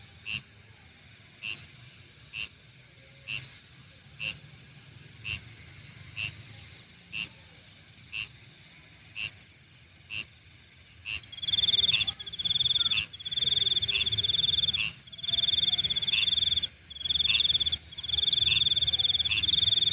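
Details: At night, insects first give soft, evenly spaced clicks about once a second. Partway through, a loud, high, buzzing trill starts up and continues in long bursts with short gaps.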